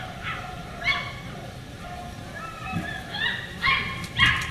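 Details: Beagle puppies from the Camo and Buddy litter, recorded 4/27/20: several short high yips and whimpering barks, closely spaced and rising toward the end, over a steady low hum.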